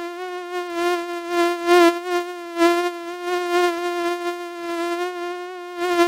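A mosquito's steady, high-pitched whine holds one rich, nasal tone with slight wavering loudness.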